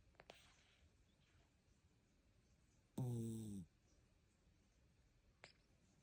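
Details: A sleeping cat lets out a single harsh, rumbling snore, low and buzzy, lasting just over half a second, with a few soft clicks and a quiet room otherwise.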